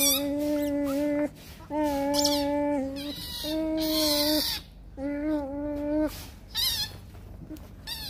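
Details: Young Rottweiler puppies in a play fight, letting out a series of steady, nasal, moaning whines about a second long, separated by short pauses, with shrill squeaks and scuffling in the gaps.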